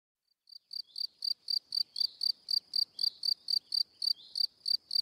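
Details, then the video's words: Cricket singing, the male's chirp popularly called cri cri: clear high chirps repeated about four times a second in a steady run after a brief silent start, nothing else audible. "Cricket Sound - Cri Cri - Cricket Singing"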